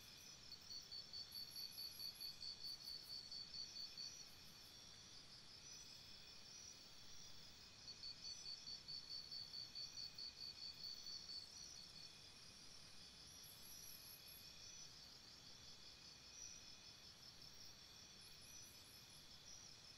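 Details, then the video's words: Crickets chirping at night beside a campsite: high, rapid pulsed trills in bursts of about three seconds, with a pause between bursts, over a steady insect hiss and faint higher buzzing. "Cricket Sounds"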